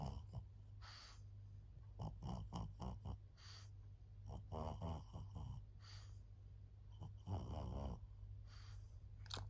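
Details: Fawn female pug Maria, aged 14, a senior dog in Japan, August 2024: irregular low snuffling snores and short snorts in rapid bursts, some rattling and wheezy, with brief quiet gaps between clusters.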